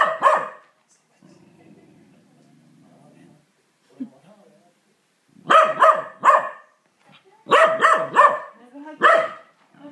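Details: A corgi angry at a vacuum cleaner, even though the vacuum is not running, barks in sharp, harsh bursts, mostly in quick doubles and triples.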